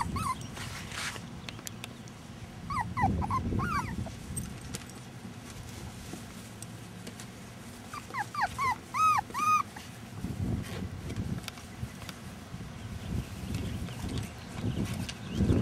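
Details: Young Rat Terrier puppies born in rescue whimper in two bursts of quick, high, wavering squeaks, a cluster of short bent whines, with long low rustling and handling noise between.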